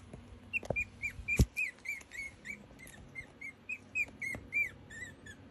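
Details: Cheska's Chihuahua puppies, aged from one day to seven weeks, give a steady string of about fifteen short, high squeaks. Each is slightly arched and they come around three per second, broken by a few sharp knocks and clicks.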